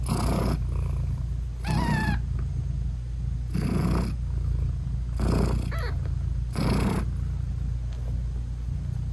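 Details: A British Shorthair mom cat purrs while nursing her newborn kittens, eyes not yet open; a deep even purr underlies regular breathy pulses roughly every one and a half seconds, with a brief faint chirp near the start.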